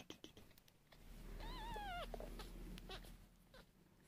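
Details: Newborn Sphynx kittens being fed by bottle: a single high, wavering mew with a slight quaver lasts about half a second, ending in a downward drop, amid soft clicks, handling noises and a low steady hum.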